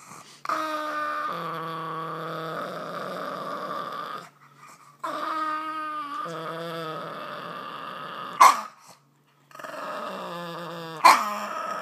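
A Boston Terrier grumbles in long, moaning, growly bouts, each dropping in pitch, with short pauses.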